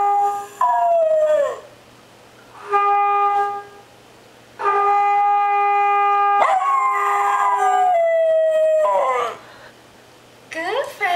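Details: Dog adopted in February 2010 howling along to a trombone: long wavering howls that slide downward in pitch, sung between and over held, steady trombone notes.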